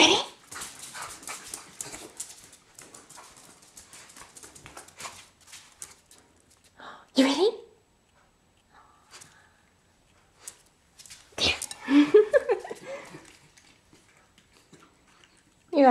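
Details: Pet dog Zoey indoors in a small room, hungry and asked about dinner, giving drawn-out whining, wavering yowls that rise and fall, between stretches of a person talking and household clatter.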